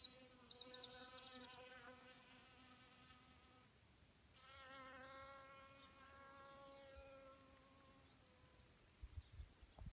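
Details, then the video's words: Honeybees gathered to drink at a small pond in May 2018; a rich, steady buzzing drone with layered overtones that wavers and swells as bees fly close, opening with a quick series of high chirps and ending in some knocking. "Honeybees Drinking Water"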